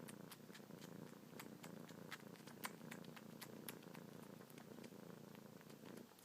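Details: Kitten named Luna purring non-stop while suckling on fingertips, paws kneading, a nightly and morning habit; steady low rumbling purr throughout, with frequent soft wet sucking clicks scattered over it, indoors.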